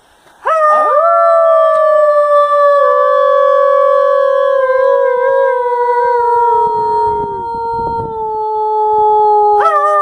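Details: Wolves howling in a predator experience; several long, steady, tonal howls overlap in chorus, one sliding slowly downward, with a brief rising yelp near the start and again at the end.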